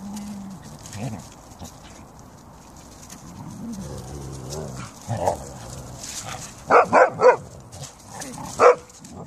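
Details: Siberian Huskies and a Samoyed, pet dogs kept together in fine weather; after a quiet stretch with a low hum, a quick run of three sharp barks comes near the end, followed by one more single bark.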